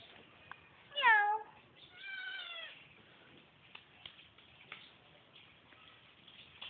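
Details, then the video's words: Kitten climbing up indoors gives a short falling meow followed by a second softer, flatter meow, then quiet rustles and a woman's voice speaking Tagalog nearby. "kitty meow"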